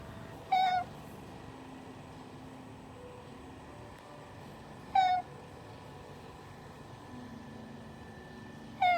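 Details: Domestic cat reacting to a speaking sound indoors: three short, clear meows, each under half a second, spaced about four seconds apart over quiet room noise.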